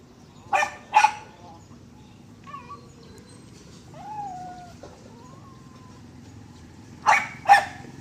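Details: Dog giving two sharp barks, then soft whining, whistle-like whimpers rising and falling, and another pair of barks at the end; quiet room with low background rumble.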